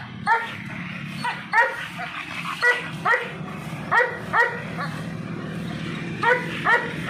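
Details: Repeated loud barks from an American Bully, roughly nine clipped yaps spaced unevenly, often in close pairs, with a continuous low background hum underneath.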